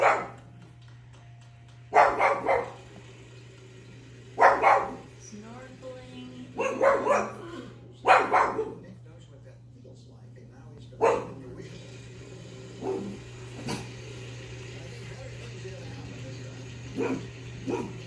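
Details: A one-year-old female pug barking at the TV show Wheel of Fortune gives short, sharp barks in loose bursts every few seconds over a steady low hum.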